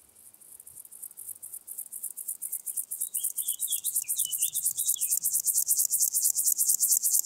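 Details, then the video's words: Locomotive grasshopper, Chorthippus apricarius, singing in Moosham, Austria, on 9 October 2020: a high, dry, rapidly pulsed buzz that swells steadily louder like an approaching train, with faint thin bird whistles in the middle. "Chorthippus apricarius -- Feld-Grashüpfer -- Locomotive Grasshopper"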